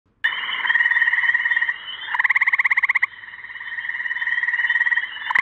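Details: Gray tree frog mating call, recorded not far from a home in Cumberland: loud, pulsed trills with a ringing, slightly buzzy tone, delivered as three long back-to-back bursts, the middle one coarser and strongly pulsed.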